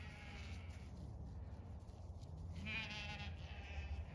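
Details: Zwartbles ewes on a regenerative farm in County Kilkenny, Ireland, approaching a fresh bale of hay placed out for them after a frost; wavering bleats from several sheep, one longer quavering call near the end, over low rumbling background.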